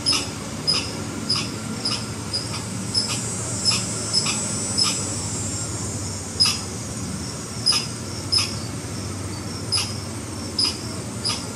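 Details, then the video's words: Red squirrel alarm, a looser series of sharp clicking chucks with a high thin tick, spaced unevenly, some gaps of over a second, with background hum. "Red Squirrel Alarm Call"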